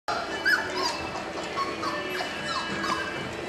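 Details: Four-week-old puppies from a litter of Trey and Roux, born March 7, 2010, give short high whines and yips, some rising then falling, over a steady background hum.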